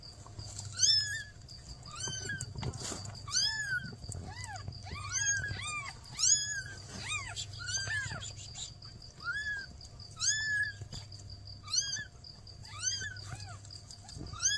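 Newborn kittens mewing in thin, high, arched squeaks, several calling over one another almost continuously.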